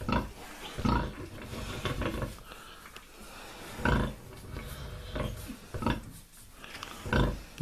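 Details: A sow on the first day after her second farrowing (28 January 2019, 9 surviving piglets) gives deep, soft grunts about every second, calling her piglets as her milk lets down; a person talks quietly.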